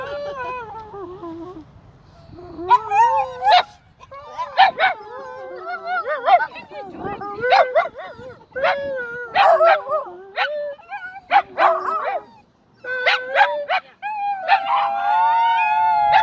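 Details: Dogs howling together with a person at a dog park in Dunedin, a chorus of long wavering howls that rise and fall, overlapping voices sliding up and down, with short yips and brief pauses between.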